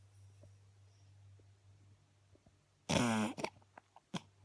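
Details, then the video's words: ['Bailey, an 8-week-old female Beagle puppy, asleep indoors and snoring loudly: one harsh, rasping, broadband snore with a buzzy low rattle, followed by a few soft clicks and small breathy snuffles, over a steady low electrical hum.'] "Beagle puppy bailey asleep loud snoring"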